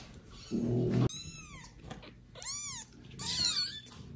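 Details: Domestic kitten, one of a litter of four neglected by its mother, meowing loudly for her; several high arched harmonic meows around a loud low thump near the start, with a rough purr-like burst.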